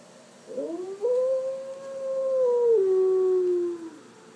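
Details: Young female dog howling in response to recorded wolves howling: a brief rising yelp leads into a long, steady, drawn-out howl that slides gradually downward before trailing off.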